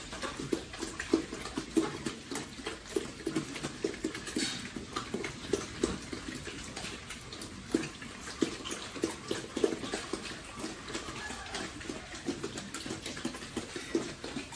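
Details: Pigs kept on a family farm, raised for sale, grunting and snuffling almost continuously in brief choppy bursts, mixed with wet splashing and rustling indoors.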